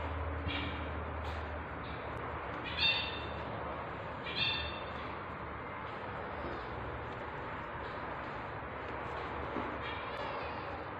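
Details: Tabby cat during the birth of her kittens, indoors; a few short, high harmonic meow-like squeaks at irregular intervals over a steady low hum and soft background rustle.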